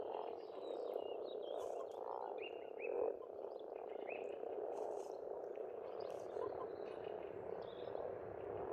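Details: Frogs croaking in a dense, unbroken chorus at a pond in spring in Estonia. The low, rolling croaks fill the whole stretch, with brief high bird chirps and whistles above them.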